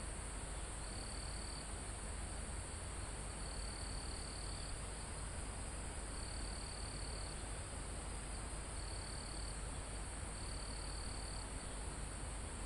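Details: Crickets in a calm forest almost at the top of a mountain, recorded live: short high trills of about a second recur every two seconds or so over a steady shrill insect drone and a soft wind hiss through foliage.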